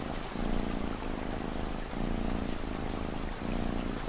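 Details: Continuous low purr from a cat, swelling and easing with each breath roughly every one and a half seconds, while steady rain hisses and patters in the background.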